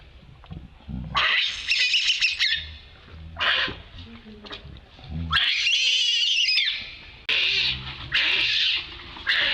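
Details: Monkey screaming very loudly while calling for help, with long harsh, shrill, noisy scream bursts separated by short pauses, some rising and falling in pitch, and low rumbling background noise between them.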